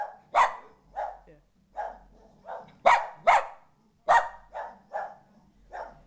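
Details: Moxie, a Boston Terrier, freaks out as a ball-jointed doll visits the living room for the first time: about a dozen sharp, hoarse barks in quick uneven bursts, some doubled, with quiet gaps between.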